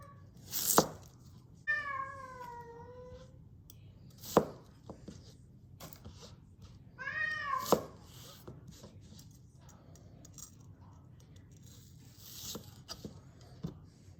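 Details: Indoor cat meowing twice as a carrot is cut with a kitchen knife: one long, gently falling meow, then a shorter rising-and-falling one, with scattered board taps and knife clicks between.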